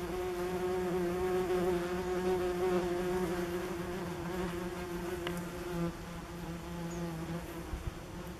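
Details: Common wasps in flight at a ground nest under tree roots on a forest path, filmed in late summer 2015. Strong, steady buzzing with clear droning tones that waver as insects come and go, briefly fading midway.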